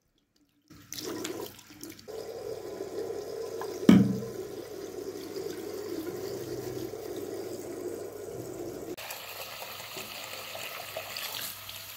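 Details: Running water streams steadily, like a tap filling a basin, with a single louder splash or knock partway through and no animal voice.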